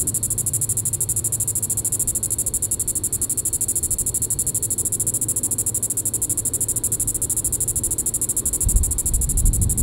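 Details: Evening call of a Diceroprocta vitripennis cicada, Sand Hills State Park, Kansas, July 20, 2014. Shrill, fast-pulsing buzz holds constant for the whole stretch; a deep low thump of handling or wind noise enters near the end.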